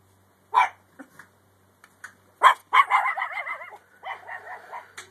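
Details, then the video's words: A puppy barks at a deer, which trips and falls. Two sharp, separate barks are followed by a run of high, wavering, yelping howls that rise and fall in pitch and fade out near the end. "Deer trips and falls after puppy barks!"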